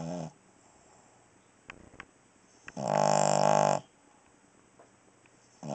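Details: Cavalier King Charles Spaniel snoring while asleep at night indoors: one loud, buzzy, rasping snore lasting about a second, framed by quieter snoring breaths at the start and end, with faint clicks between.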